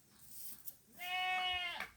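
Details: Pet goat kept in a field in hot weather, described as thirsty; a single steady, nasal bleat of under a second, with a slight pitch drop at the end against a faint hiss.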